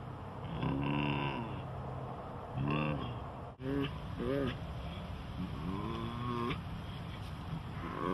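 A tiger gives low, rough, moaning calls that rise and fall, repeated in short bursts.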